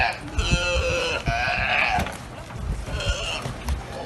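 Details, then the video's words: Galapagos sea lions that have taken over a barge give harsh, belching, bleat-like calls in drawn-out bursts, like a burping contest. "Galapagos sea lions hold epic burping contest on hijacked barge"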